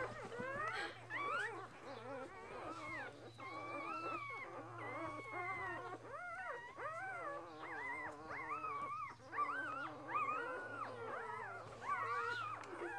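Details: Six Border Collie puppies at two days old, born to purebred Lilly; a continuous chorus of crying pups, long sliding whines and short squeaks layered over one another, a steady low electrical hum underneath.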